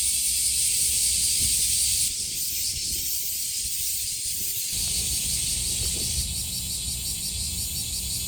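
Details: Summer cicadas buzzing at Kasai Rinkai Park in Tokyo, Japan; a loud shrill drone that eases slightly after two seconds and then shifts in tone, with low background rumble throughout.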